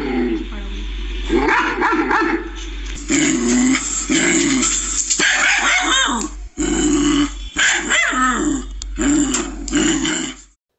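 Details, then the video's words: Dog barking in loud, rough bursts mixed with growling over about ten seconds. The barks come in clustered runs separated by brief silences. "dog sound is known as bark"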